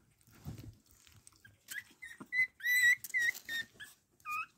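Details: Chihuahua puppies, young males bred in Crimea from a champion sire, give high whistled whimpers around two kilohertz in short rising and falling bursts, with a few soft rustles and quiet breathing before them.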